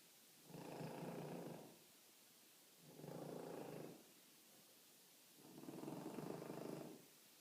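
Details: A French Bulldog snores gently, with soft, rumbling breaths about every two and a half seconds.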